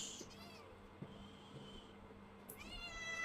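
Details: Cat giving thin, high-pitched meows: one falling call at the very start and another, rising then falling, near the end, separated by a quiet stretch with a soft background hum.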